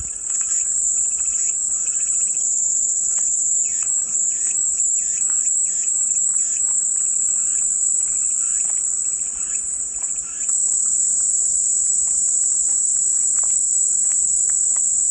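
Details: Cicadas singing as calming white noise: a dense, steady, very high-pitched buzzing drone that holds unbroken for the whole stretch, with faint scattered chirps of other birds underneath.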